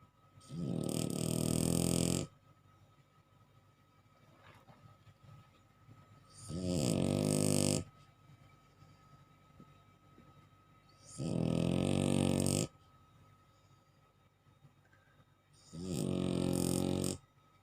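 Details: Sleeping bulldog snoring indoors: loud, rasping, harmonic snores lasting one to two seconds each, repeating about every four to five seconds, with quiet breathing between them.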